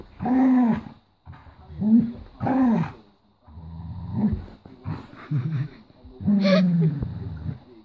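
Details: Female Golden Retriever growling as she refuses to give up her toy; low, moaning growls of about a second each come in several bursts with pauses, and a person talks over and between them.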